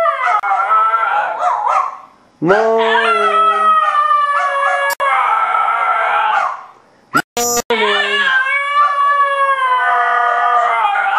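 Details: Basenji and Mini Australian Shepherd pet dogs howling as a pair: layered sustained howls with bending pitch, several brief gaps and a sharp click, resuming with long wavering yodelled notes.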